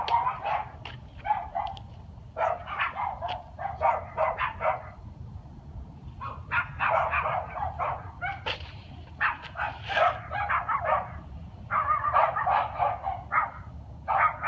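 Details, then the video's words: Night barking from a dog, 13 February 2016. Dense volleys of short, harsh barks crowd together almost continuously, breaking into clusters with brief gaps, over a faint low hum. "dog barking at night"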